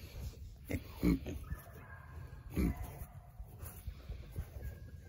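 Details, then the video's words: Hand-fed Berkshire piglets give soft, low grunts, two louder bursts about one and a half seconds apart amid quieter snuffles, over a hushed farmyard background. "Berkshire pigs"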